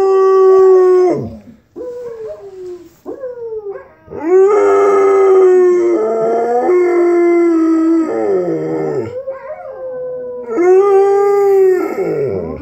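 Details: Dog howling along with other dogs playing from a screen, several long, wavering howls that slide downward at their ends, with overlapping howling voices and brief gaps between phrases.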